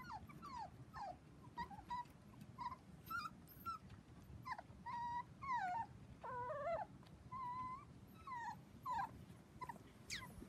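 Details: A litter of seven Dachshund puppies, four weeks old, on a trampoline with children; scattered thin whimpers and yips from several pups overlap irregularly through the stretch, with a low background hum.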